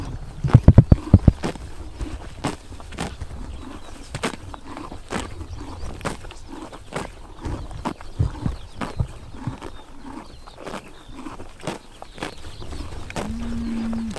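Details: Horses grazing on a summer morning in Tuv province, Mongolia, tearing and chomping grass: irregular crisp crunches and snaps, several bunched together early on, then spaced strokes, plus a brief low steady hum near the end.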